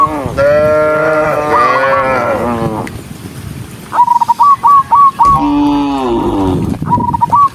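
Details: Dozens of cows on a rural road: one long, steady moo that rises slightly in pitch, then a quick run of high stuttering chirps, followed by another falling moo.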